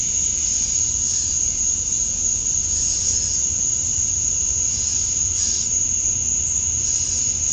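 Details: Male cicadas chorus at dusk on a summer night in Georgia, USA, calling to attract females. A steady, piercing high drone is heard, with brief swells in loudness around three and five seconds, over a low rural rumble.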